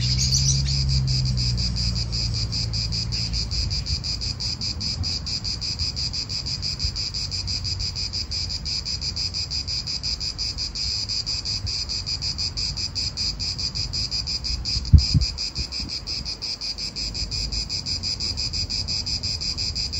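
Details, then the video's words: Cicadas calling in a park in Italy, a steady dense high buzz with rapid pulsing, over wind rumble and low traffic noise, with a brief thump near the middle. "italian park ASMR Cicadas wind real atmosphere in an Italian park birds"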